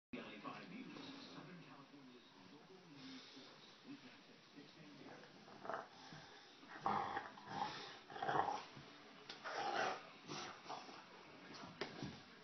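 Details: An English Bulldog named Otta, being silly, gives short, rough, grumbling woofs in uneven bursts while a person talks nearby.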